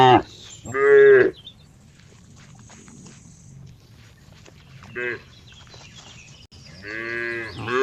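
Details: Cow mooing in three harmonic-rich calls: a loud drawn-out moo near the start, a brief quieter one mid-way, and another long, loud moo at the end. A faint high whine and low background rumble sit between calls.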